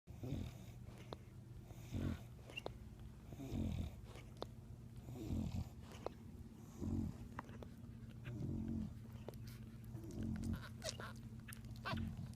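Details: One-day-old English Bulldog puppies nurse on their mother, who snores in slow, rasping breaths about every two seconds over a steady low hum.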